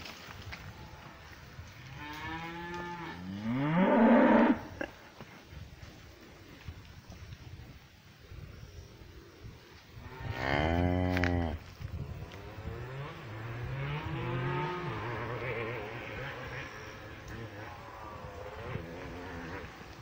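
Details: Cows mooing in a pasture: two loud, rich moos rising and falling, about six seconds apart, followed by softer overlapping lowing from other cows in the distance.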